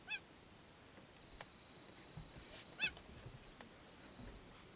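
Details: In Amboseli, Kenya, a female cheetah standing over her kill gives two brief, high, bird-like chirps about three seconds apart, calling her cubs in to share the kill, in otherwise quiet surroundings with faint hiss.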